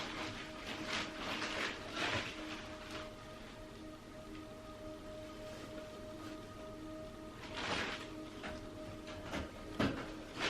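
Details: Soft music with steady tones runs over rustling and tapping noises, and no animal sound stands out.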